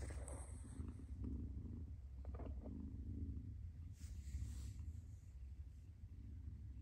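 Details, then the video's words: Purring of a mother cat, a continuous deep buzzing rumble held throughout, with a brief soft hiss of noise midway and light handling sounds. "Mother Cat Purrs"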